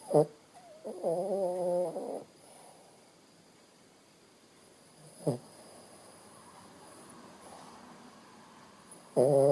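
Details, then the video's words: Shih Tzu named Bo Bo snoring while asleep: short harmonic snore bursts at the start, near the middle and at the end, with a longer buzzy snore lasting about a second early on, quiet room between. "bo bo Sleeping dog ..snore"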